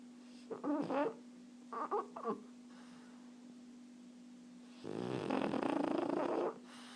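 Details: Erna, a French Bulldog resting contentedly, snoring: two short choppy bursts early on, then a long rasping snore around five seconds, over a steady low indoor hum.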